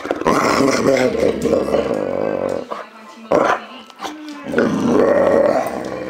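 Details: Enzo the male Boxer gives a steady, vibrating growl that fades into a quiet gap with a faint whine, then resumes loudly; human speech mingles with the dog's voice.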